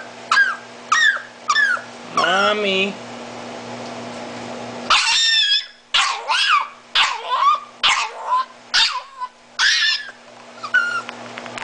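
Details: Miniature Italian Greyhound, blind and disabled, crying for mommy: short high squeaks, a long drawn, wavering whine, then after a pause a burst of seven or eight harsh, rising screams over a low hum.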